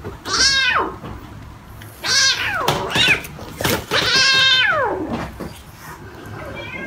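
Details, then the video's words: Baby cat meowing three times, each call arching up then sliding down, the last the longest and loudest, with faint clicks and rustling between calls. "Baby Cat"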